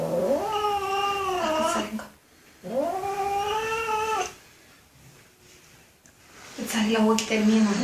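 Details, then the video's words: Kitten repeating loud meows: two long calls, each rising quickly then holding and falling slightly, separated by short pauses, followed by a third rougher cry, with background room noise between calls. "Kittens Meowing"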